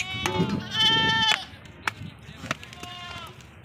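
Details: A female Sirohi goat on a farm in Ajmer, Rajasthan, bleats loudly, a nasal, quavering, harmonic cry of about a second, then sharp knocks and a second, softer wavering bleat over faint background noise.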